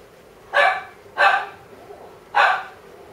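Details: Female Maltese with a white coat, born 21 April 2016, at a pet shop, barking three times: two sharp, bright yaps close together, then a pause and a third, over faint background hiss.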